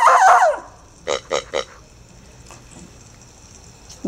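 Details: Female Irish Terrier pup Murphy, four months old, scared by a pink rubbery snorting pig toy; one brief high whining yelp, then three quick snorts from the pig and quiet afterwards.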